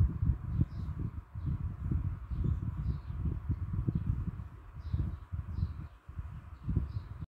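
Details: Low, throaty, rhythmic breaths from a dog with an unusual breathing sound, puffing repeatedly about twice per second, with light high chirps faintly audible in the distance.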